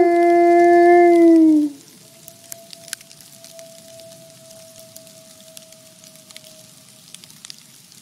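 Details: Two captive gray wolf siblings at a wolf conservation center howl together: a loud, steady, mellow tone that drops at its end, then a fainter higher howl.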